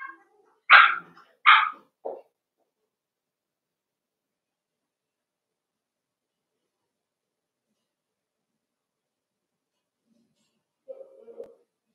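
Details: Cavalier King Charles Spaniel puppies at play indoors in a puppy pen: three sharp high yips in quick succession, then silence and a soft low whine near the end.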